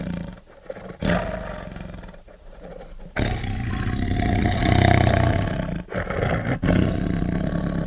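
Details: A tiger gives deep, rumbling roars, low and powerful, surging in long breathy bursts.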